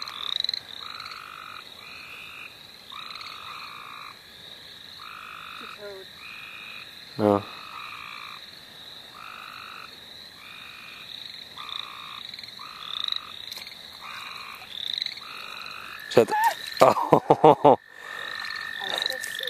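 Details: Frog chorus at St. Olaf College Natural Lands, with frogs being caught nearby. Buzzy pulsed calls repeat about every second beside a steady trill and high chirps. Sharp clicks at seven seconds, then handling clatter and voices near the end.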